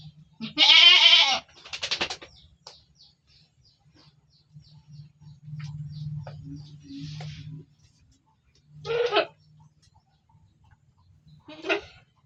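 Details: A penned goat opens with a strong, rough, wavering bleat, then stays quiet except for scattered faint ticks and a low hum. Two shorter, weaker bleats follow near the end, several seconds apart.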